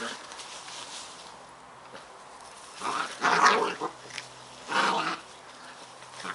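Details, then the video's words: Playful Scottish Terrier puppies Bonnie and Basil growling at each other, with a few short throaty snarls and grumbles in separate bursts over a low background hiss. "Scottish Terrier pups"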